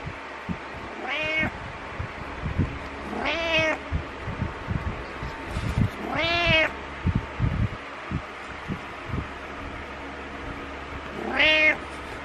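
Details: Butters, a pet cat, meowing in the morning to wake its owner, headbutting. Four clear, drawn-out harmonic meows, each rising then falling, spaced irregularly across the stretch, over quiet indoor rustling and soft thumps.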